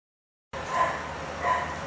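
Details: Dog giving two short, mid-pitched whiny yips about three quarters of a second apart, each with faint overtones, over a steady background hiss.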